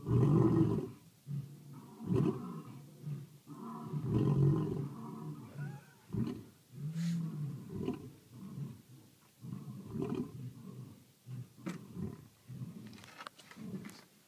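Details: Lions roaring at night in South Africa: deep, low grunting roars in a rough sequence of heavy pulses that fade off, with faint rustling and background noise.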